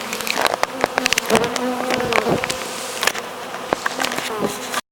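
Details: Honey bee swarm working as it is hived; a close bee's low hum rises and falls under a steady buzz, broken by many sharp clicks and taps before it cuts off abruptly.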